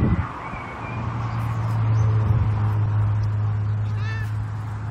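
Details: Savannah cat out on a summer walk gives a brief, rising, harmonic meow near the end, over a steady low droning hum throughout, with faint outdoor background.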